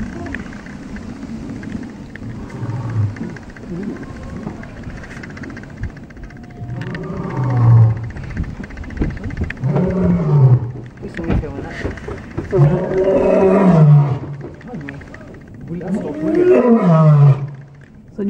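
A white lion gives deep, moaning roars that fall in pitch, repeated every few seconds.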